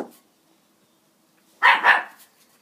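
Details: Border Terrier named Benji barking at a broom in a small room, with a loud, rough double bark after a quiet pause and the tail of an earlier bark at the start.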